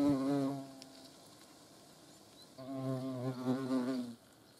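A hornet's low, droning wing buzz swells, fades, then returns louder as it passes close.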